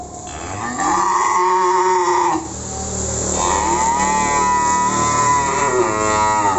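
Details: Simmental and Limousin cattle on delivery to Magelang, Indonesia: a loud, sustained moo that wavers and rises, followed by a second drawn-out bellow with a wobbling tone.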